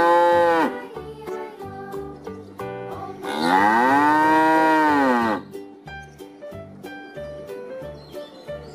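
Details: Cattle in a collection of cow sounds. One drawn-out moo that swells, holds and then dips, with a brief lowing at the start. Rhythmic background music with regular notes runs throughout.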